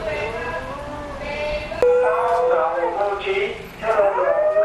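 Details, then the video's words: A choir of huskies goes wild at the 'Old Newspaper' van siren. Long, drawn-out howls in several voices overlap, bending up and down, with a sharp click partway through and the siren blending into the chorus. "Howling Huskies Choir"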